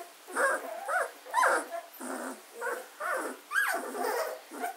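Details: A litter of German Shorthaired Pointer puppies aged 14 days, Katelands gundogs, 24 August 2016, giving rhythmic whimpering squeals about twice a second, each a short rising-and-falling whine.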